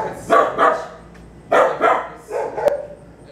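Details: Barking dogs near a private obedience session for Waylon, a three-year-old Bulldog mix: three bursts of paired, sharp barks about a second apart, with quiet gaps between.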